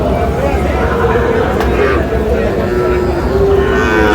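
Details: Sahiwal cattle at a weekly livestock market in Bangladesh, where a Narail farmer buys Sahiwal bull calves on 26 June; steady low droning moos hold through the whole stretch over constant crowd murmur and faint chatter.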